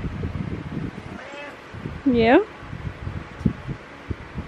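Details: Morning meows from Butters, a pet cat lying on a pillow: a faint short mew, then a louder bending meow, with quiet human voices and a background hum in a small room.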